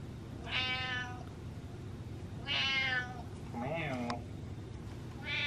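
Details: Pet cat meowing indoors for attention and affection: three loud harmonic meows about a second apart, a shorter wavering one near four seconds, and another starting at the end, over a steady low hum.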